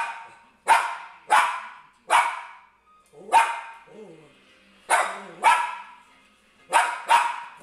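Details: Excited Papillon barking at a TV show indoors, seven sharp barks, some paired, about one per second, over faint television speech in the gaps.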